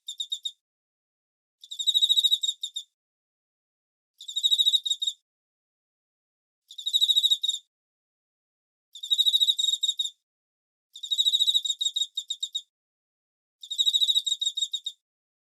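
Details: Crickets heard in autumn as a sleep aid: seven short trills of sharp, high-pitched pulses repeat roughly every two seconds, each burst lasting about a second, with silence between and nothing else audible.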